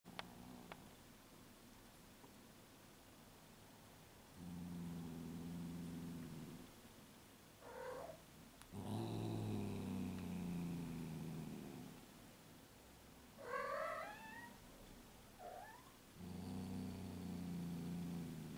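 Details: A 15-year-old cat shortly before her death, purring in low rhythmic bursts across the recording, with a few short rising meows in between, in a quiet setting.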